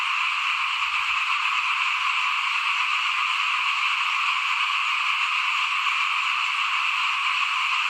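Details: Frogs calling in front of a house during rice sowing, before planting in 2021: a dense, unbroken chorus of many callers forming a steady high buzzing wall of sound with no pauses throughout.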